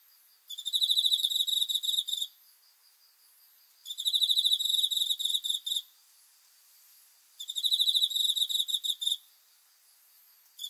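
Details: Cricket singing at night, dated 5 August 2020. Three shrill, rapidly pulsed trills, each lasting under two seconds, come roughly every three and a half seconds with quiet gaps between. The background is still.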